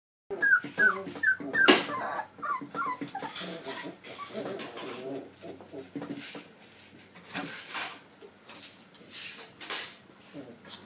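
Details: Four-and-a-half-week-old puppies playing and tumbling together indoors; a run of short, high, squeaky yelps and whimpers in the first two seconds, then softer scuffling, panting and small grunts as they wrestle.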